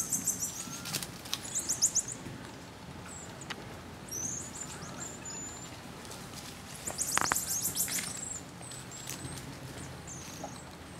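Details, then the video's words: Marmosets in social interaction: two bursts of fast, very high twittering chirps, one early and one around the seventh second, separated by sparse thin high whistles against a low hiss. "marmoset social interactions"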